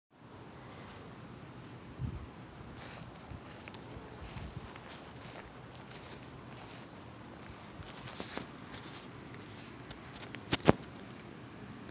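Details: Quiet outdoor rustling, footsteps and a few sharp clicks over a soft background hiss, without any animal voice.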